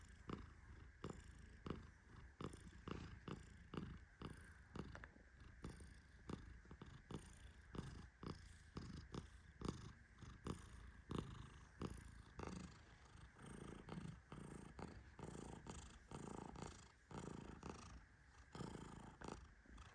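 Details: Tehran, a fluffy Persian cat, sleeping deeply while being gently petted; soft low rhythmic snoring breaths pulse steadily about every second, purr-like and quiet, in a calm indoor setting with no other clear sounds.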